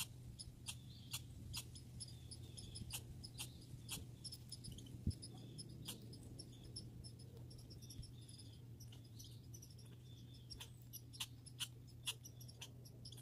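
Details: Backyard grey and red squirrels: sparse clusters of thin, high squeaky chirps, some in quick doubled bursts, over a low steady drone.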